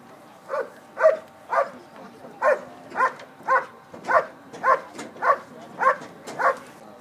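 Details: A working dog performing a bark and hold at the 2013 Schutzhund USA Nationals, an IPO trial event: loud, sharp barks fired at a steady pace, about two per second, a dozen in a row over a faint background murmur.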